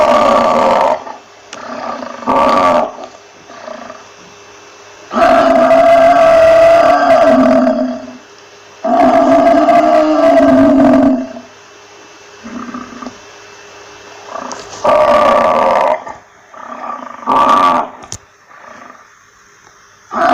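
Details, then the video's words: Buffalo moaning in a varied series: a few short grunts, two long resonant bellows back to back, then a run of brief, clipped calls. "Buffalo Sound Effects"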